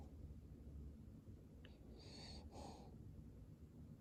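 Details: Cavalier King Charles Spaniel asleep and snoring: one soft wheezy breath with a faint whistling edge, followed by a brief quiet pause, over a low steady room hum.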